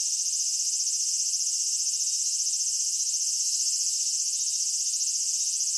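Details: Cicada chorus of a Japanese summer at Michinoku Folk Village and Kitakami Tenshochi, Kitakami: a constant high metallic buzzing, pulsing quickly with gentle rhythmic waves roughly every half second to second.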